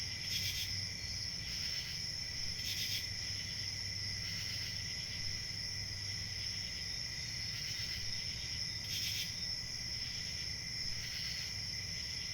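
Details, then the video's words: Many crickets chirp together in an unbroken, piercing high drone with a second, lower tone underneath. Short louder pulses flare every couple of seconds, and a quiet low-frequency rumble runs along the bottom. "Crickets chirping"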